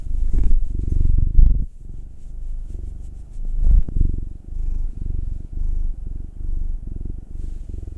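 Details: Contented-sounding rumbling purr from a pet cat being rubbed, either a nine-year-old black tomcat or a two-year-old tortoiseshell Munchkin female. Strong pulsed purr in alternating inhale and exhale phrases about a second long, with faint handling noise.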